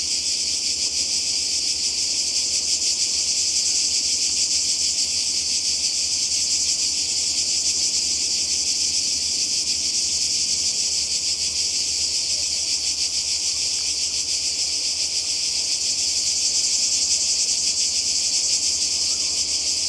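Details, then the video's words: Twenty seconds of Croatian seaside cicadas in summer 2020: an intense, unchanging high-pitched buzzing chorus, steady in loudness, its fast pulsing texture running without any break. "Kroatien Zikaden und Meer"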